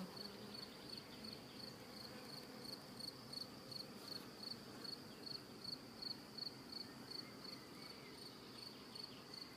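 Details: Swarm of hive bees, apparently left without a queen, constructing comb inside a clear-walled hive. Continuous buzzing drone with a rapid, evenly pulsed high-pitched ticking layered over it, repeating several times per second.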